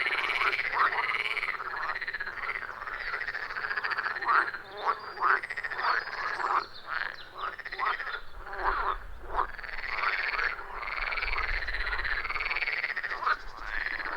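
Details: Chorus of wild frogs at a forest pond, recorded with iPhone 14 Pro and Shure MV88+; steady overlapping croaks and pulsed calls continue throughout, with a faint low rumble in the background partway through.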